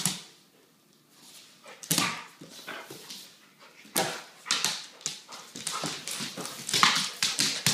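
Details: Adult female Weimaraner at play with one of her puppies, a 10-month-old male, inside a home; after a quiet start, rough panting growls and whiny yelps come in clusters, growing busier toward the end.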